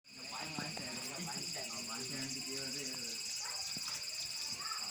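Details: A cicada perched on a tree makes a steady, shrill buzzing drone that fills the air on a warm day, while a person talks nearby.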